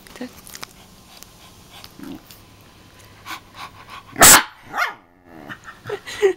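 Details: Pet dog named Scott, angry when his owner mimics him, gives a single sharp, loud bark after quiet stretches, followed by softer yelping tones, with Italian speech heard around it indoors.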